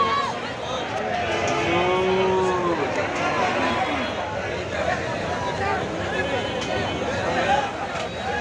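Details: Cattle at a crowded market ahead of the Eid sacrifice. One low, drawn-out moo rises and then falls over about two seconds. Steady crowd chatter and general market murmur run throughout.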